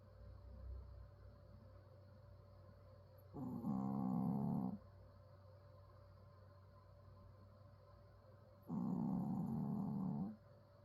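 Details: A pet dog snoring in a person-like way. Two buzzy, throaty snores of about one and a half seconds each come roughly five and a half seconds apart. Quiet breathing between them, over a steady low electrical hum.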